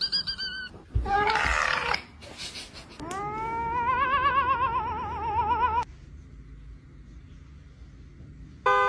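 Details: Cats making funny noises: a short high squeal and a rough burst, then a long quavering meow that rises and warbles for about three seconds, with a faint background hum and a brief high call at the end.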